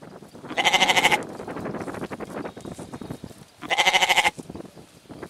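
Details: Two pulsing, quavering goat bleats about three seconds apart, each with a trembling vibrato, set against a steady rustling, crackling background noise.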